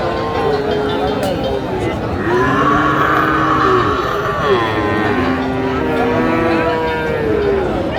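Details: Friesian and crossbred bull calves at the Raniganj cattle market in Dinajpur, Bangladesh, on 15 January 2025. Several drawn-out harmonic lows overlap, some rising then falling, above a constant hum of market chatter and background noise.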